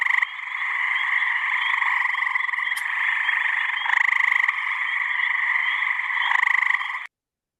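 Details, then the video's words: Gray tree frog calling from its single vocal pouch, an effortful call: a long, even, rapidly pulsed trill held for about seven seconds with slight swells in loudness, then stopping abruptly into silence. "that's the gray tree frog, and you can see it takes a lot of energy to make those calls."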